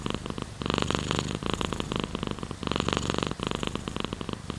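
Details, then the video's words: Domestic cat purring close up indoors: a steady, rough, buzzing rumble that pulses with each breath, swelling and fading in roughly half-second bursts. "Sleeping with Purring Cat in Your Arm | Rain Sounds, Cat's Purr"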